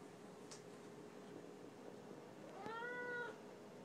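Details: A chatty female Siamese cat indoors gives a single soft, short meow near the end, rising slightly then level, heard over a steady hiss of room noise.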